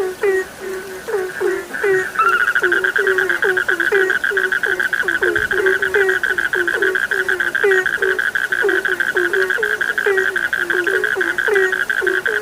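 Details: Many frogs croak together for a sleep soundscape: a steady stream of short, throaty, upward-bending notes at irregular quick intervals, layered with a continuous high, ringing trill that grows fuller after the first seconds.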